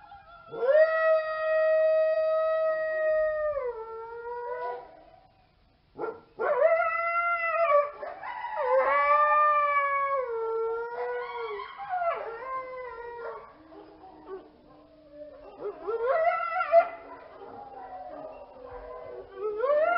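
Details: Coyote howling: long sliding wails with rich harmonics that dip and waver, broken by a short pause, then quavering howls and yips that rise and fall in quick succession, trailing into lower, fainter notes near the end.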